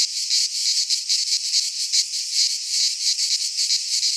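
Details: Shrill midsummer cicada song in a pine forest in Greece, a continuous high sizzling drone beating in rapid pulses, roughly two or three per second.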